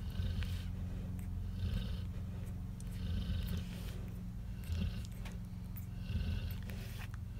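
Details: Cane Corso puppy snoring while nursing: low, rough, rumbling breaths repeating irregularly, under a steady low hum, with soft brief higher rustles and suckling noises scattered through.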